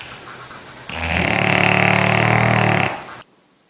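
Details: Dog snoring loudly in its sleep: one long, harsh, buzzing inhalation lasting about two seconds with a rattling texture, then it stops abruptly into near silence.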